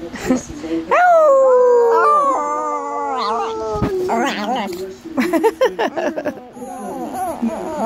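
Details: Male Chihuahua learning to howl: one drawn-out howl that falls and wavers, then a run of quick, choppy barks and yips as he reverts to his natural barking.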